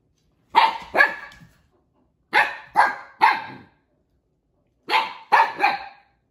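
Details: Siberian Husky puppy barking during play with another husky puppy, Juno. Clear, punchy barks come in clusters of two and three, with pauses of roughly a second between the clusters.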